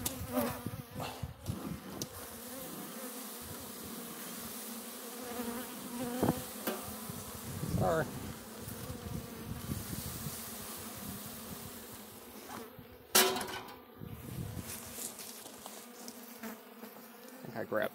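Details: A steady, low droning hum of many Russian honey bees at the first opening of their hive on a black stand, broken by knocks and clunks of equipment.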